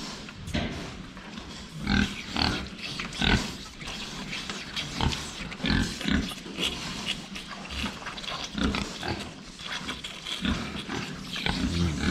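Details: Pigs at a farm shed, filmed head-on while drinking water: a run of short, rough grunts and snorts, bursting irregularly through the clip, with splashing, clatter and a person speaking quietly.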